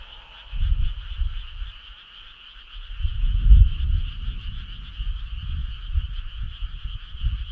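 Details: Summer-night frog choir beside a country road, a constant high-pitched trilling drone running unbroken, with deep irregular rumbles rising around the middle and fading toward the end.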